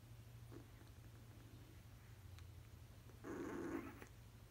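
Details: Baby basset hounds sleeping, dreaming and twitching; one gives a short, nasal whimper lasting about half a second near the end, over a steady low electrical hum.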